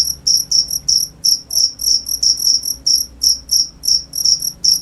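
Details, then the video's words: Cricket producing high, sharp chirps at an irregular pace, sometimes paired, sometimes spaced out, just under three per second. "cricket sound"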